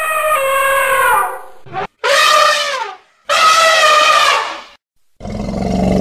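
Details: An elephant gives loud, blaring trumpet calls, each lasting about a second and rich in stacked harmonics. Several calls come in a row, separated by brief silences.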